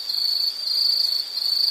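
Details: Brief burst of shrill insect stridulation, a steady high-pitched buzzing trill with a tiny dip in volume partway through.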